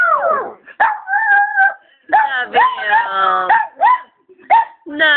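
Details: Doogie, a 5-year-old male Chihuahua, howls along as a woman sings "I love you" to him; wavering tonal howls rise and fall between her sung phrases, with the singing voice mixed in.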